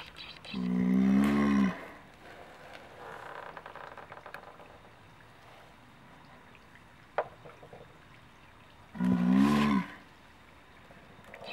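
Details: Captive male Galapagos tortoise at the end of about ten minutes of mating at Taronga Western Plains Zoo, Dubbo, giving two deep, drawn-out groaning bellows about eight seconds apart, with a child and adult talking nearby.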